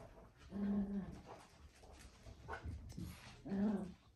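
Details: Papillon whimpering indoors: two short tonal whines, one early and one at the end, each under a second, with faint room noise and soft voices between.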